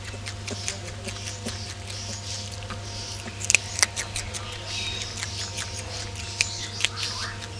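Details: Several ring-tailed lemurs at their meal, with soft wet chewing and crisp snapping clicks, a few louder crunches midway, all against a constant low hum.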